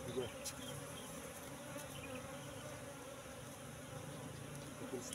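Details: Low, even drone of a wild Asian honey bee colony nesting in bushes, its comb full of honey; the hum stays level throughout with faint clicks and rustles.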